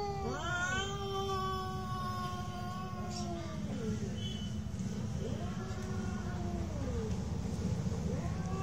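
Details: Real cat fight with long, low, drawn-out moaning yowls that waver and bend downward, one cat answering another in overlapping wails, over continuous low-pitched background rumble.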